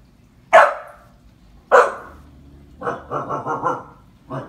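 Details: Seven-month-old Husky puppy reacting fearfully to a clown on the television: two forceful barks followed by a drawn-out, wavering, talkative groan that rises and falls for over a second.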